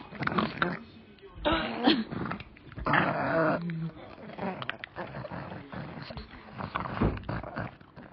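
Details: A food-obsessed pug gives rough, snuffling growls and whines in uneven bursts, demanding a dried-fish treat it loves.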